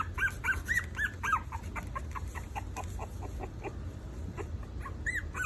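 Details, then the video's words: Four-week-old Maltese puppies whining in quick arched squeals, several per second at first, then thinner fainter peeps, with a low background hum. "Maltese puppies (4 weeks old)"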